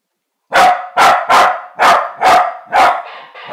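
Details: Corgi barking at a mechanical parrot, six loud, sharp barks in quick, fairly even succession about half a second apart, ending with a softer trailing sound.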